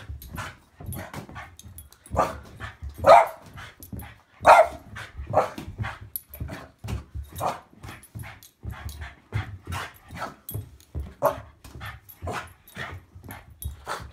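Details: Boston Terrier playing monkey in the middle with a football, giving short sharp barks in irregular bursts across the clip, roughly forty a minute, some louder than others, with scuffling play noises between.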